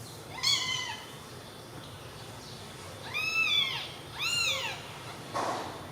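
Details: Tiny newborn kittens together produce thin, arching meows, one short cry near the start and two strong, bright cries toward the end, with hushed background between them.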